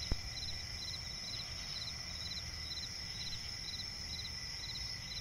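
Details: Crickets chirping at night in a swampy forest: short pulsed chirps repeat rapidly and evenly, layered over steady high continuous trilling from other insects, with one sharp click near the start.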